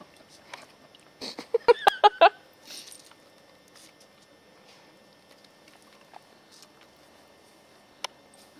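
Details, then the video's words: Katie, a 10-year-old Scottish Terrier, on squirrel patrol in November 2008: a quick burst of four or five sharp, tonal yipping barks packed into under a second, followed by near silence broken only by a few faint clicks and taps. "Scottie Squirrel Patrol"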